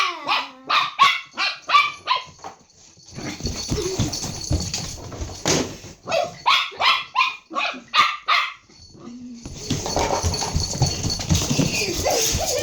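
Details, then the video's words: A pet dog barking back while arguing with its owner: a fast run of sharp, high barks repeated about three times a second, then a stretch of broadband noise and scuffling, another burst of barks, and a final noisy section. "this is how I and my dog are arguing!"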